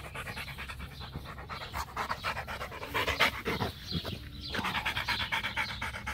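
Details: Macho, a Rottweiler playing fetch, panting in fast, even breaths about four per second, a steady huffing rhythm with slight swells in loudness toward the end.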